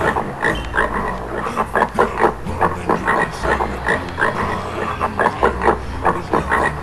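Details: Choppy grunting of a wild boar in Sweden: brief rasping bursts in irregular clusters, pausing briefly between runs, with a low steady drone beneath.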